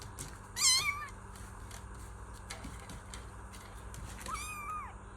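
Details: Kitten giving two meows, one short and bright near the start and one longer falling call near the end, separated by quiet, noisy background with faint clicks.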